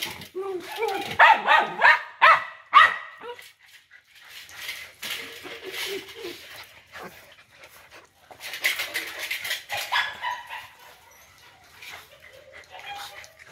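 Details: Big-bellied pet dog being brought home, giving a run of short, high yelping barks in the first three seconds, then quieter whimpers while people talk in Vietnamese indoors.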